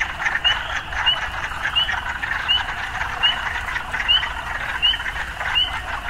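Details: Urban frog chorus: a steady buzzing drone with clear upslurred croaks roughly every 0.7 seconds, low traffic-like rumble underneath.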